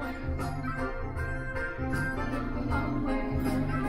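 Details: Bright instrumental music with bell-like chimes over a pulsing, organ-like bass line, and no animal sound.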